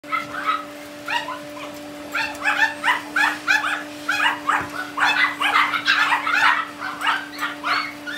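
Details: Tiny Poodle puppy described as calm and obedient; rapid series of high, short yips and whimpering barks, irregular and excited, with a steady electrical hum underneath.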